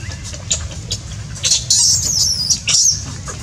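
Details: Baby monkey Lucie from Cambodia lets out short, shrill squeals that swell into a piercing, wavering scream, over a steady low rumble.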